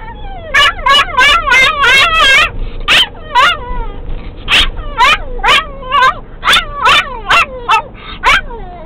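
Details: Pixie, a pet dog, sings with excitement once a VW Beetle gets going, sounding like a turkey gobbling: a rapid run of yipping, wavering yelps and whimpers, a dozen-plus bursts with short gaps, bright and high.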